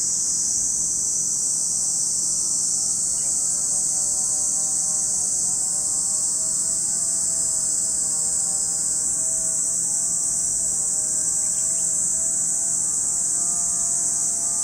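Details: A steady, piercing high buzz of cicadas fills the air at Lake Kamo, Sado City, Niigata Prefecture, Japan, while a faint, wavering lower drone like a distant engine rises and falls underneath.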